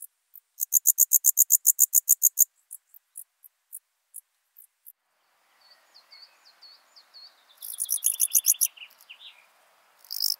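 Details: Alpine dark bush-cricket in Berchtesgaden, Germany, on 6 September 2018, giving a fast series of short high-pitched chirps, about a dozen in two seconds, then sparse single chirps; later bird twittering overlaps another burst of chirps.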